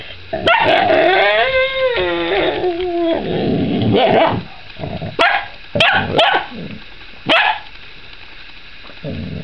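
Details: A puppy barks at another dog chewing a rawhide: sharp barks and a drawn-out whiny yelp with stacked harmonics, then short bursts of yips spaced about half a second to a second apart.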